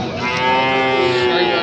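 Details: Sahiwal bull calf for sale at a weekly cattle market in Bangladesh, giving a short, steady, drawn-out moo with rich harmonics over a crowded market background.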